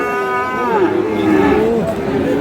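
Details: Short burst of lowing from bull calves at Aftabganj cattle market, Dinajpur, Friesian and crossbred stock: one drawn-out moo sliding downward, another fainter behind, with people haggling nearby.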